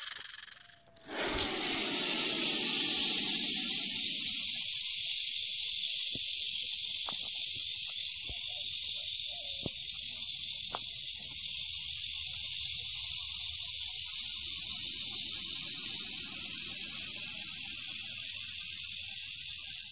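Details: Western diamondback rattlesnake rattling with a steady, dry, high-pitched buzzing hiss that runs without a break after a brief quiet start, with a few faint clicks and a soft low rumble beneath.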